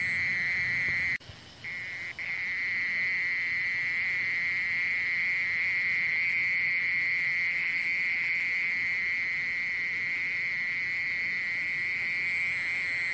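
A mole cricket sings a steady, unbroken high-pitched trill that drones on almost without pause.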